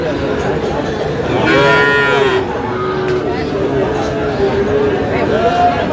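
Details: Sahiwal bull calves at a cattle market in Chuadanga, Bangladesh, on 4 July: one low, drawn-out moo lasting about a second, rich in harmonics, rising out of steady crowd chatter and men talking nearby.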